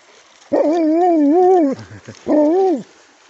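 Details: Alaskan malamute beside a river after nearly falling in, giving two drawn-out, wavering howl-like vocalizations, the first about a second long with a rising then falling pitch, a short grumble between, then a shorter second howl.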